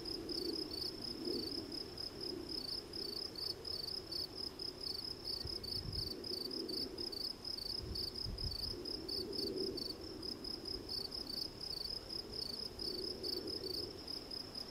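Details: Field cricket (Gryllus campestris) chirping continuously: high, ringing pulses repeated several times a second throughout, with a soft low hum and occasional faint thuds beneath.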